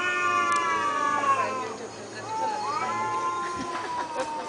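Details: Cats communicating in Thailand: softer, drawn-out meows, one long falling call then a rising, wavering one, over faint background noise and a few clicks.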